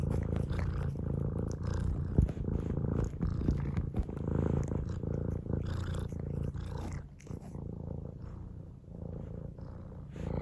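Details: Pet cat purring contentedly, deep rhythmic rumbling at about three and a half pulses per second, steady for ten seconds with gentle rises and dips in loudness.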